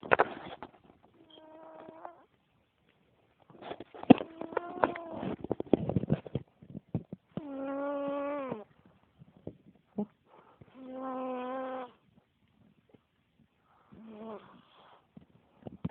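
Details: Gorda, a female pet cat, snoring in deep sleep: drawn-out, humming, tonal snores about a second long, several seconds apart, with scratchy rustling breaths and faint clicks between them.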